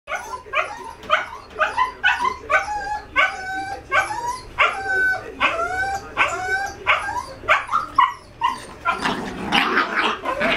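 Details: Two 5-month-old Jack Russell Terrier puppies, a male and a female, during fairly wild play: rapid series of high yipping barks, roughly two per second, with rising harmonic yelps, ending in a burst of scuffling noise.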